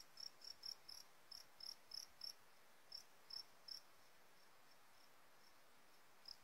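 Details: Chirping fighting cricket from Sumbawa, fed a different Warrior mix: about a dozen bright, clipped chirps in quick succession for nearly four seconds, then a gap and one final chirp, with soft hiss in the background.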